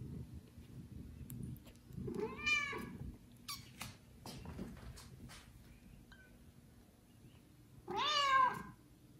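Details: Domestic kitten, one of four in a litter, meowing loudly for its mother indoors; two high harmonic-rich meows near 2.5 and 8.3 seconds, the second rising then falling, with soft shuffling and clicks between.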